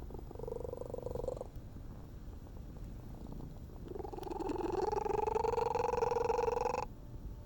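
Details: Stray cat making strange purring sounds: a humming, rapidly pulsing tone for about a second. After a pause, a longer, louder buzzing purr swells and holds for nearly three seconds, over a low rumbling background.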